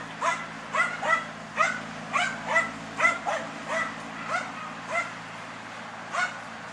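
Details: Hunting wild boar, the German Hunting Terrier Dunja barks in quick, yelping bursts, about a dozen in under seven seconds, slightly uneven in spacing, with a low droning hum underneath.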